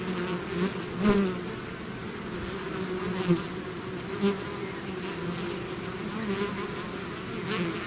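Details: A honeybee-style swarm out of its hive: constant low buzzing of many insects, with close fly-bys swelling briefly at about one, three and four seconds.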